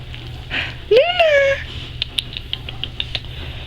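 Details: Wolfdog puppy, seven and a half weeks old, playing with its mother: a single rising-then-falling whining yelp, rich in overtones and lasting under a second, with soft rustling and scattered clicks before and after.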